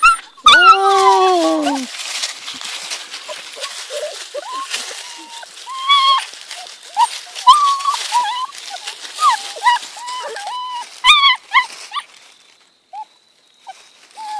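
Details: Two young German Shepherd puppies struggling to cross a bridge outdoors: high, thin whines that rise and fall and repeat in quick bursts, with a person's encouraging voice at the start.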